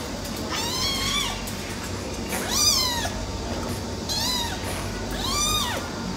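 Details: Male silver tabby cat meowing repeatedly, four drawn-out arched meows about every one and a half seconds, each rising then falling, with a faint steady background hum.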